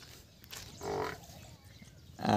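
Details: Water buffalo offered for sale, giving a short harmonic moo near the middle and a louder, rough call starting at the very end, over low background rumble.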